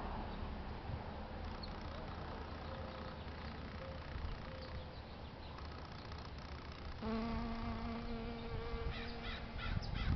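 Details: European honey bees visiting flowers on a beautiful day in San Diego, California, USA; faint brief hums early on, then a close, steady, droning buzz with rich overtones through the last few seconds over a low outdoor rumble.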